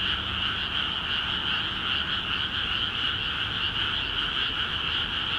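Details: Frogs calling in a dense chorus in rice paddies in Akiha Ward, just flooded with water; overlapping croaks merge into a continuous pulsing drone with two steady bands, one mid-high and one higher, without pause.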